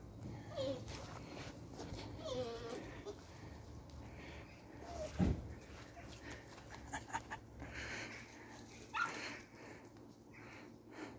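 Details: Beagle puppies learning to hunt, going after a fake weasel; short high whining yelps and whimpers come in scattered bursts, with handling thumps, rustling and a faint voice in the background.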